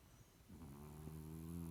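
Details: Sleeping French Bulldog giving a single low, droning, buzzy snore that rises in strength and holds steady for over a second.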